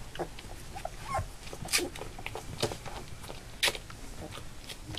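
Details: Three-week-old Labrador Retriever puppies from a litter of eight, kept indoors and starting to walk; brief thin whines and squeaks among soft clicks and shuffling sounds.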